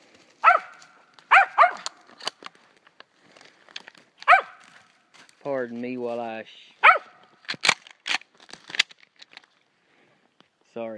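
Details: Year-old female dog in South Georgia treeing a gray squirrel: sharp single barks in irregular bursts, some in quick pairs, separated by pauses, with a man's voice talking between them and rustling and clicking noises.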